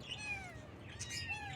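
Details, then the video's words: Baby kittens on their first morning, one giving high, thin meows: a drawn-out falling cry, then a second shorter meow rising then dropping near the end, over a low steady indoor hum. "Kitten Meows"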